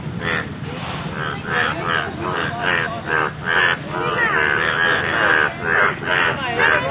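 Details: Yellow frogs at Alipurduar, calling in a dense chorus of nasal, pulsed croaks repeated several times a second, over a steady low engine hum.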